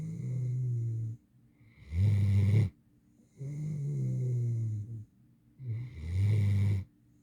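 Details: A young mantle Great Dane, female and eight months old, snores in her sleep with a low, buzzing drawn-out intake followed by a gruff rasping snort, the pair repeating twice.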